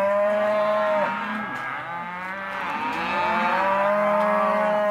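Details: Hereford and Careta cows, half-tooth young cows in an auction lot, giving long, steady low moos that hold one pitch for about a second, then a softer dip and another sustained moo, with a faint murmur behind.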